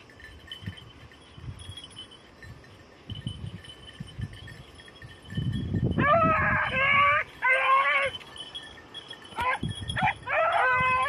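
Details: Beagles on hare practice in Crete, 2022, red-blue tick and lemon-white dogs; rustling movement through cover, then a run of loud quavering bays in quick bursts, with a steady high hum throughout.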